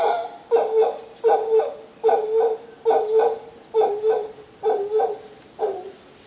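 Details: Howler monkeys recorded in Costa Rica calling in paired, coarse grunts, several double pulses repeated a little more slowly and unevenly, deep and harmonic-rich, over a faint steady high tone.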